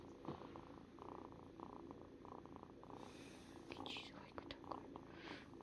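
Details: Cat purring in a steady pulsing rhythm for about three seconds, then a person talks softly over the fading purr.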